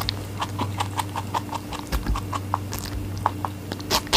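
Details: Rabbit eating watermelon, close indoor recording: soft wet crunching bites in a quick irregular series, each a short broadband click, with a faint steady low hum underneath.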